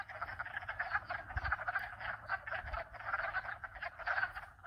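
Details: Dense chorus of frogs from at least two and perhaps four species, calling all at once as a continuous rapid, pulsing, rattling croak, with brief low thumps of wind noise underneath.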